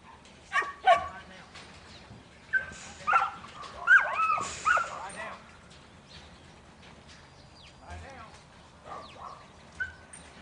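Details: Buttons, a young male Border Collie in training as a futurity prospect for 2012, gives a few sharp barks near the start, then a cluster of harmonic barks and yips in the middle, with quieter outdoor background.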